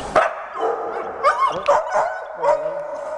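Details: Big dogs saying hello, greeting at home: a run of loud, harmonic barks and yelping calls, some rising and bending, several in quick succession, with a person talking to them.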